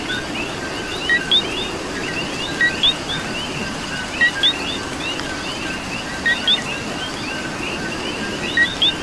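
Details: Rainy night chorus of coqui frogs in Puerto Rico, many overlapping two-note "co-qui" calls, each a short low note and a rising higher chirp, the loudest recurring about every two seconds amid steady rain noise.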